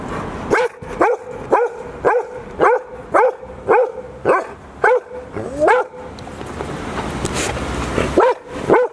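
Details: Barks of a Golden Retriever during the birthday party for Hiro, great-grandmother of the puppies, turning 14 on 2 June 2019 in Ain village. A quick run of ringing barks is followed by a noisy stretch of rustling and voices, then two more barks.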